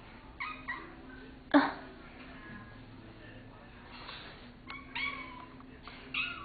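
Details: A pet cat indoors, intent on eating a ladybug while being scolded, gives several short meows and chirps spread across the stretch, with a woman's voice talking in between and a quiet room hum.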